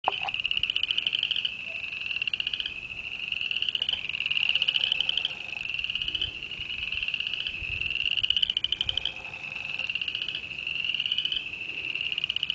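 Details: A dense frog chorus in mid-February, the sound of spring: high, rapid trills pulsing continuously in overlapping waves.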